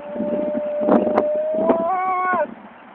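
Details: After a long day, a Siberian Husky that wants a walk and refuses to get into the car gives a long, steady howl that rises slightly in pitch before breaking off.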